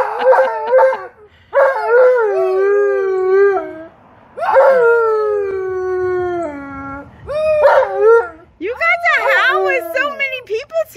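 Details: Tonka, an Alaskan Malamute greeting visitors, mixes sustained falling howls with clipped yelps and chattering vocal bursts; a brief wavering, warbling howl closes the sequence amid soft background voices.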